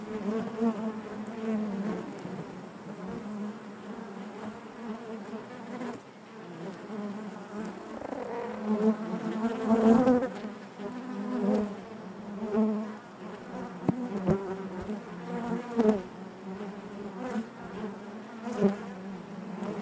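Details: Honey bees buzzing inside their hive: a dense, continuous hum around a low drone with layered harmonics, swelling louder near the middle as wing-beat tones waver and overlap, with occasional faint clicks.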